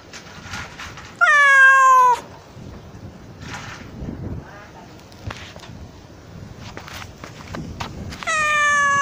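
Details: Two strong, falling meows, nearly a second long and about six seconds apart, from a stray island kitten trapped in a drain hole and calling for help. Faint outdoor rustling and distant sounds fill the gaps.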